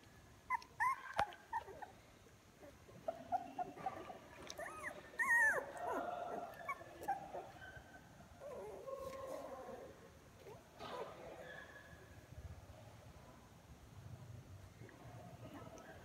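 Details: Young puppies in a litter on 24 February 2022, newly walking more, several opening their eyes and moving toward their mother, their cries growing louder. Short high whines and squeaks come in scattered bursts over a soft background murmur.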